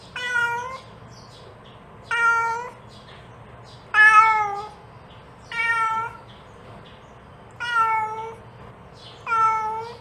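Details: A mother cat calls her kittens, giving six evenly spaced, tonal meows about every two seconds, each slightly rising then falling, over a soft constant hum.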